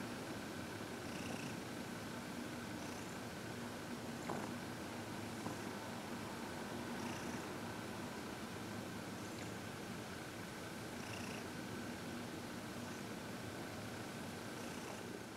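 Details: Gentle purring by Heidi, a contented senior cat aged fourteen from the Humane Society of New York City, receiving massage and reiki at home on February 22, 2021; low rhythmic rumble with airy breath pulses recurring every couple of seconds.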